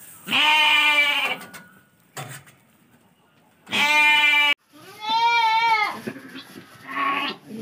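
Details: Lambs kept for sale call with three loud bleats of roughly a second each, the last one quavering and slightly rising, separated by pauses, with a faint human voice near the end.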